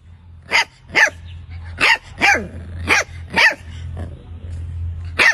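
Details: Dog barking in a steady series of sharp, harsh barks roughly every half second, with a constant low hum underneath.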